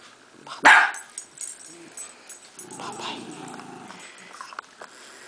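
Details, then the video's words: Jack Russell Terriers, older adults meeting a new five-month-old pup; one loud, sharp bark early, followed by softer low rumbling sounds and quiet indoor background. "Jack Russells Meet"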